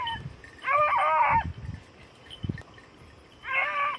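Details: Hunting beagles, red-blue tick and lemon-white, working hare on Crete in 2022; a long wavering harmonic bay, a pause with a thud, then a second shorter bay, over a constant high background drone.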